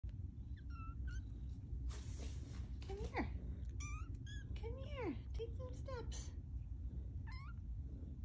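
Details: Two-week-old kittens learning to walk: thin, high mewing calls, some sliding down in pitch, scattered through the clip over a steady low hum, with a person speaking briefly.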